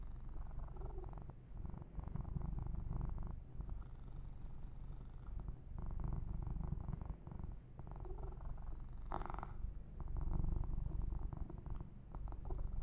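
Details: Kitten named Yumak receiving a massage, giving a long, low, continuous purr that swells and fades slightly, with intermittent soft rubbing and crackling fur sounds.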